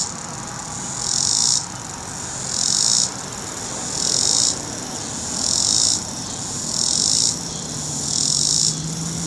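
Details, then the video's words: Cicada from North Carolina producing loud high buzzing phrases, each about half a second long, repeated roughly every one and a half seconds, with quieter hiss between and a low hum in the background. "Cicada Sounds in North Carolina"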